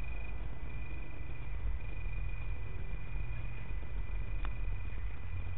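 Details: Male Italian tree crickets sing a steady, high, purring trill over a low rumble of distant traffic in Berlin on 24 August 2013.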